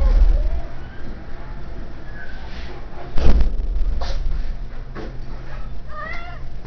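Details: Domestic cat indoors at an Idaho Falls animal shelter: faint mewing early on, then one clear, bent meow near the end, over room noise and a loud handling thump midway.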